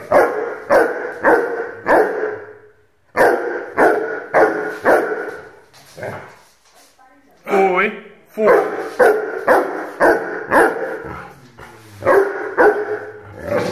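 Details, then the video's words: Rhodesian Ridgeback puppy, 8 months old, barking in quick runs of deep, harsh barks roughly twice a second, with a short pause in the middle and a brief rising whine-like note before the barking resumes. "Rhodesian Ridgeback puppy barking"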